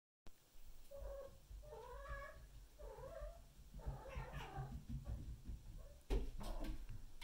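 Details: Bengal kittens Shiro, a silver male, and Simmi, a brown female, play around a ladder indoors. Short mewing calls, each rising then falling, come about once a second. These are followed by rustling and a sharp thump.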